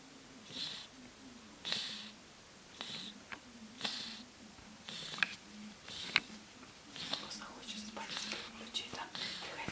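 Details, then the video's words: Ryjik, a fat ginger domestic cat, snores while sleeping indoors, sounding like a human: soft, breathy, hissing snores repeat about once a second in a steady rhythm over a faint low hum. "Cute fat ginger cat snoring like a human"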